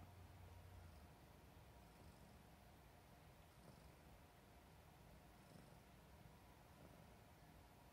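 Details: Affectionate pet cat that loves papa, purring: a steady low rumble throughout, with faint rustling.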